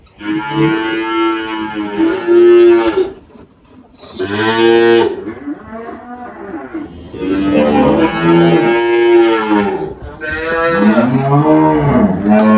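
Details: Girolando cow Malhada, 18 years old, on a farm in Anápolis, Goiás, Brazil, in March 2023, gives four loud, harmonic moos in quick succession, each one to three seconds long, with faint music in the background.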